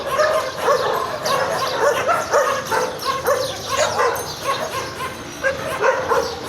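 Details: Harsh, yelping barks from garbage strays repeat in a nearly continuous stream, with several dogs overlapping and the barking easing slightly toward the end.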